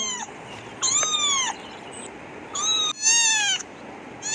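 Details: Domestic cat meowing, real sound used to teach children animal names; repeated high, clear meows with bright harmonics, each bending slightly down at the end, coming roughly every second over a soft hiss.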